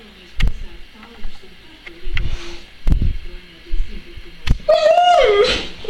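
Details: Happy Alaskan Malamute greeting arriving people: after thumps and Latvian speech, a short, wavering, whining woo-like howl rises and dips near the end of the clip, with voices continuing around it.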